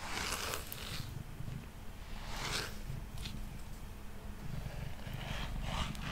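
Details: Brushed while sitting on a table, the male cat Mango gives a continuous low purr. Scratchy brush strokes come and go over the soft rumble.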